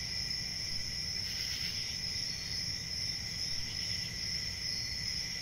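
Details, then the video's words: Crickets at night sustain a high, level trill over a softer lower tone. A single faint swell comes early on, and a low rumble runs through the background. "CRICKETS AT NIGHT"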